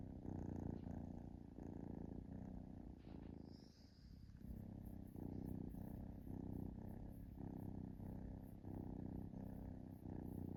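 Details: Relaxed kitten purring, continuous low rumbling cycles of about one second each, with a brief quieter dip near the middle and a light hiss in the background.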